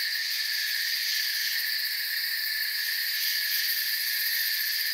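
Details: Forest crickets in a thick continuous chorus: overlapping shrill, even trills hold at a constant level throughout, with no gaps, voices or other distinct sounds.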